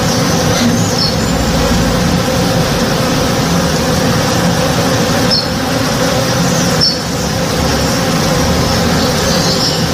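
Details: Backyard tree in bloom alive with working honey bees one morning, a constant low buzzing drone, with occasional brief high bird chirps and a momentary dip in loudness.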